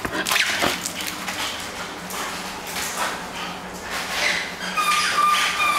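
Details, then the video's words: A Bull Terrier playing indoors with boundless energy: quick, uneven snorts and puffs come several times a second, followed by thin high whimpering tones near the end, over a low steady room hum. "Bully Bull Terrier playing at home"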